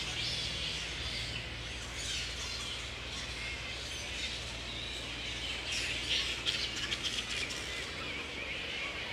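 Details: Wild grey-headed flying foxes at Woodford, Australia, in mid-April at the peak of the breeding season, with mating pairs roosting together: a dense, high chattering colony din. Sharper screechy bursts rise out of it toward the end, over a low steady hum.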